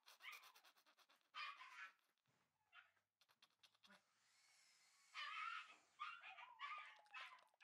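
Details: Shiba Inu puppies, a red male and a white male bred for show: bursts of harmonic, high yelping in short clusters, a quieter falling whine near the end, with tapping and clicking noises between calls indoors.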